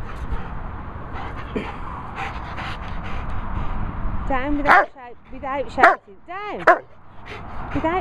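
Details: Rottweiler playing during training in Worcestershire countryside, giving high wavering whining yelps in bursts after a stretch of a man's commands; dog noises dominate the second half.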